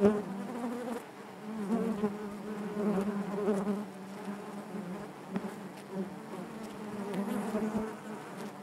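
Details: Honey bees buzzing inside their hive: a dense, steady drone with a low hum and rich overtones, swelling and fading gently as wings beat continuously, with occasional soft taps and brief louder passes near the recorder.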